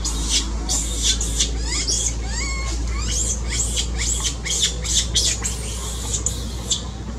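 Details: Loudly crying baby monkey, said to be seizing and needing its mother's care: rapid, nearly continuous shrill squeals and screeches, some sliding downward, over a constant low hum.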